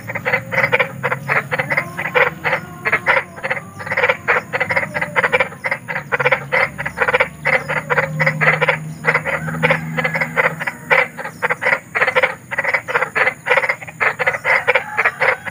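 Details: Frog described as big, croaking in nature: dense repeated rasping notes, fast and somewhat irregular, continuing without a break, with a light hum underneath.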